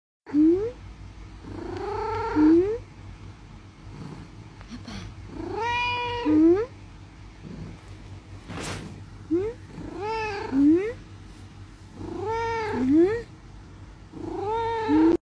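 A Siamese cat gives loud, drawn-out yowling meows, rising then falling, repeated every few seconds.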